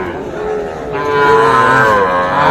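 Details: Sahiwal bull calves at the Aftabganj cattle market, Nawabganj, Dinajpur, Bangladesh, on Tuesday 16 July 2024; a sustained, harmonic-rich moo swells after a second and holds steadily to the end, with market murmur underneath.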